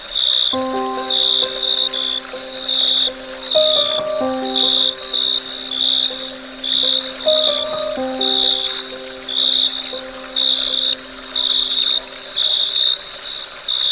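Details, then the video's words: Dusk cricket chorus of high, rhythmic chirps roughly every second, running steadily beneath slow background music with sustained piano-like notes that shift pitch partway through. "Dusk Crickets Chirping Sound"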